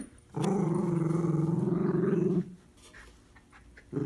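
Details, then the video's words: Miniature Schnauzer puppy playing tug of war with an adult dog indoors: one sustained, rumbling low growl lasting about two seconds, pulsing rapidly, then a pause and the start of another growl. "Mini Schnauzer Puppy and Adult Dog playing Tug of War"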